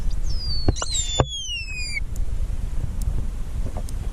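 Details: Pilot whales recorded underwater during a mass stranding rescue at Macquarie Heads, Tasmania, distressed and exhausted. A single high whistle glides steadily downward over about a second, rich in overtones, above low rumbling water noise and a few clicks.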